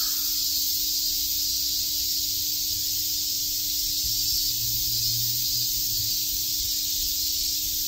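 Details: Cicadas chirping in Shakujii Park, Tokyo, in summer: an unbroken high, sizzling chorus, joined midway by a low engine-like hum that swells and fades.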